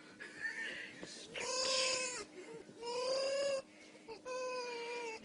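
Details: A female baby fox gives drawn-out, tonal whining calls in three bouts, each about a second long, while being stroked.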